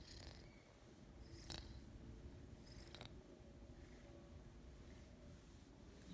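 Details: Big Maine Coon cat from a cattery in the South of France, purring and snoring indoors: a steady, low, continuous rumbling purr running unbroken for about six seconds, with a few faint clicks and rustles.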